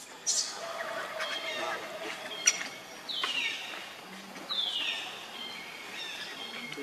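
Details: Hungry baby monkey Leo crying for milk: two drawn-out, high-pitched wails, each starting shrill and sliding steadily downward, about a second and a half apart, over a steady hiss of outdoor background noise.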